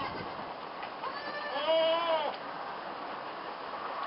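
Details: Goat kids on their first time in the barn while being moved to their stall; one clear wavering bleat of under a second rises then falls over steady background noise.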